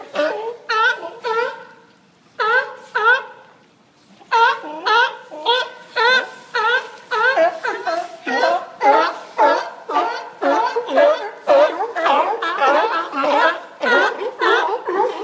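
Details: Sea lions on the Newport, Oregon bay-front dock: a few clear, separate harmonic barks with pauses open the sequence, then a dense, rhythmic chorus of overlapping barks from many animals follows.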